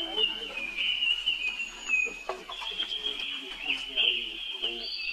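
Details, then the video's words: Young baby monkey, the brother of a monkey named Rainbow, calling for help as she runs off fast; a sustained high, wavering, whining cry held almost without pause, with faint low voices murmuring underneath. "Rainbow Run Very Fast While Her Young Bro Call Helping it"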